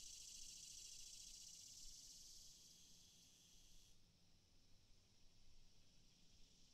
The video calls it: Cicadas sound